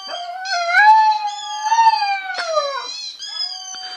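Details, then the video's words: Puppy giving a sustained, mournful howl, a long tonal wail with bright harmonics that holds a steady pitch with slight wavers, dips and swells, then trails off into a softer falling note. "Cute Puppies Howling"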